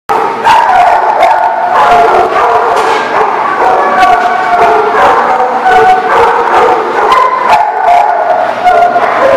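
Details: Many dogs barking together at a dog facility in November, a dense overlapping chorus of loud repeated barks and yelps with no pause, echoing as in an enclosed space.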